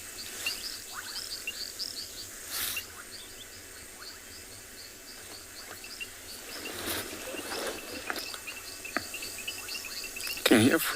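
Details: A chorus of reed frogs near a river on a sunrise safari, 15 October 2020, gives short, high, repeated pips over a steady background hiss.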